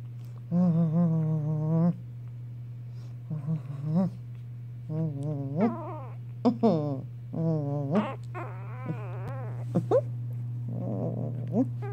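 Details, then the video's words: A Chihuahua at play gives a series of short, tonal, wavering growls and grumbling whines, broken by pauses and a few sharp clicks, over a steady low electrical hum. "chihuahua playing & All growls"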